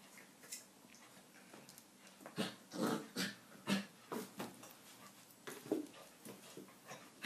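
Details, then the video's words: Labrador Retriever puppy, nine weeks old, playing inside; a string of brief throaty growls and huffs comes roughly twice a second in the middle stretch, mixed with scuffling and soft breathing. "9 week old Labrador puppy playing"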